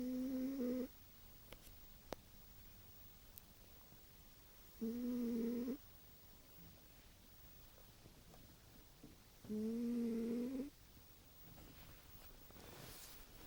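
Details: Tired domestic cat snoring in its sleep after a busy day, indoors: three steady, humming snores, each about a second long with a low droning tone, spaced roughly five seconds apart over near silence.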